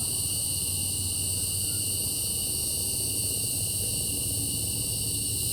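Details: Cicadas calling at night under an open sky, a steady, unbroken high-pitched ringing in several stacked shrill tones, with a low rumbling hum underneath throughout.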